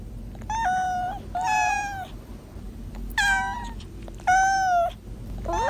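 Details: Young kittens meowing: drawn-out harmonic mews, some level and some with a rising bend, in four separate calls over a faint steady background hum.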